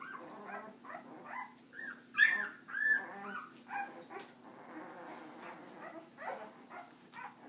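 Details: Leia's puppies out for walking time give irregular high yips and curved whining squeals, some louder than others, with a low steady hum beneath.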